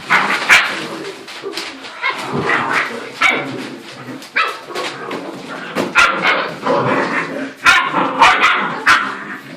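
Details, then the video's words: Nine 7-week-old puppies, each 12 to 14 pounds, playing spiritedly with one another indoors: rapid overlapping yips, squeaky barks and whimpers in dense bursts every second or so, with a woman's voice greeting them. "The Sound of Nine, 7-week old, Puppies!"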